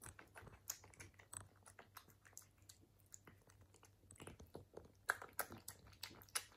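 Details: British Shorthair cat eating in a quiet room, recorded for ASMR: quick clicky chewing about three times a second, briefly quieter midway, then louder crunchy bites toward the end; faint low hum.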